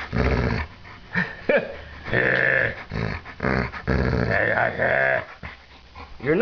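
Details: Pet dog growling back at its owner, a learned response it now uses to get attention; low, drawn-out rumbling growls with harmonic overtones, alternating with a person's voice indoors in a small room.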